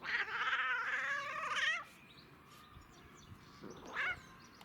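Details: Domestic cat enjoying catnip gives a long wavering, warbling meow of almost two seconds with a trembling pitch, followed after a pause by one short, fainter call; quiet room background.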